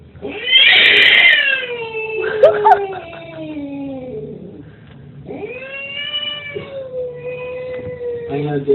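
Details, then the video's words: Screaming angry domestic cat, a playback that frightened a pet cat into hiding. A loud harsh squall opens, then a long descending moan, a pause, and a steadier drawn-out yowl with a final rising edge. "video of a Cat screaming And My Cat got scared and Now hiding"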